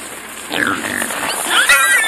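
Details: On winter fishing ice in Leningrad region, a herd of wild boar sows and small piglets takes anglers' catch from buckets with high, wavering squeals and brief downward-sliding cries while a man talks nearby.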